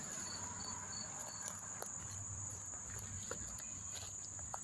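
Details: Crickets chirping at Monmouth Park, New Jersey, on September 4, 2023: a few pulsed chirps early on, then only the continuous high trill, with scattered clicks and faint footstep-like sounds.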